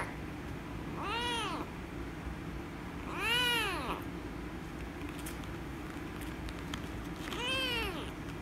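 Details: Rescue kitten meowing angrily while being petted: three short, arched meows, rising then dropping, roughly two to four seconds apart, softer than the surrounding low room hum and faint rustling.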